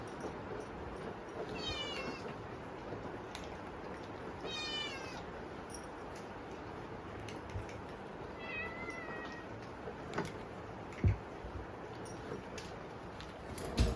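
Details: Hungry kittens calling at dinnertime while typhoon rain falls: three separate high meows spaced a few seconds apart, the last softer and lower, with a continuous rain hiss and occasional small knocks.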